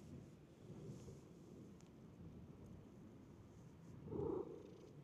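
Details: Stray cat in a park, running up on seeing a familiar face, gives one short low meow near the end amid steady background hiss and faint rumble.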